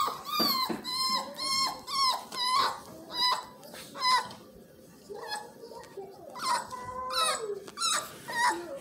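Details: Several Miniature Australian Shepherd puppies whine indoors, with clear, piercing, wavering squeals repeated about twice per second. The squeals come in overlapping bursts and dip briefly midway before rising again.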